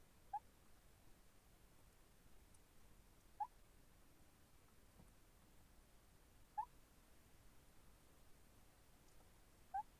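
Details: Sleeping hedgehog snoring indoors: faint, short squeaky chirps that rise in pitch, repeated about every three seconds against a quiet background hiss.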